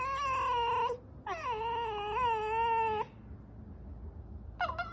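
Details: A fox whines indoors in a long, wavering, harmonic call lasting about two seconds, following a shorter one and ending with a brief rising squeak, while the room is otherwise quiet.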